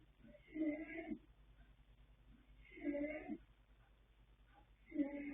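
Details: Foal snoring in sleep: the colt Yanta, sired by Fast Force out of Pink Blossom, born 21 January 2026. Three hoarse, wheezy snores come at about two-second intervals over a low steady hum.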